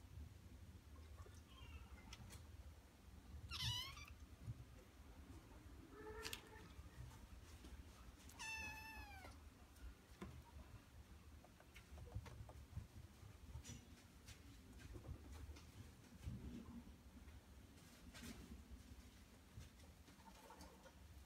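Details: Maria, a male Norwegian Forest Cat, gives a few meows: a drawn-out, wavering meow near four seconds, a short one soon after, then a longer bending meow near nine seconds, over a low steady hum and soft clicks.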